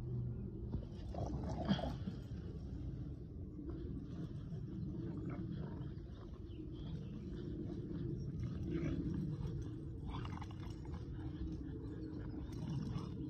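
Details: Two dogs, Kumo the Keeshond and Sully the Boston Terrier, play tug with a broken rubber toy, giving a steady low rumbling growl that runs the whole time, swelling now and then into rougher bursts.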